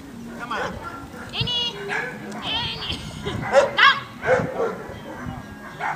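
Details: Labrador Retriever barking during defence training: a series of sharp, harmonic barks and yelps at irregular intervals, mixed with a person's voice speaking over them.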